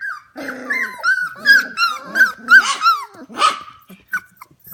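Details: At 11 pm indoors, 25-day-old F1 Goldendoodle puppies give quick repeated high whines, each sliding up then down, mixed with low rough growly grumbles from littermates.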